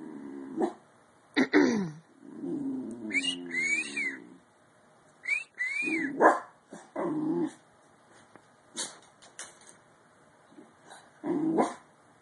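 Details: Yawning Bull Terrier puppy giving a run of squeaky, whining vocal yawns, some sliding up and down in pitch with thin high overtones, broken by short pauses and a few sharp clicks.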